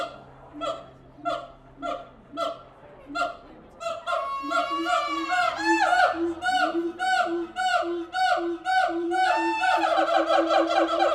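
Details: Siamang apes calling at the Tulsa Zoo: evenly spaced honking barks about every half second build into a loud, excited chorus of rising and falling whooping shrieks overlapping one another.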